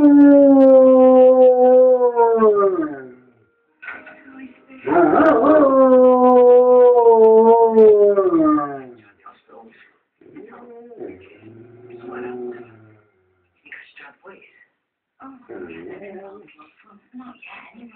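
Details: A Rottweiler dog howling along to a television soap opera: two long, sustained wavering howls, the second rising then sliding down, followed by quieter broken whines and voices from the programme.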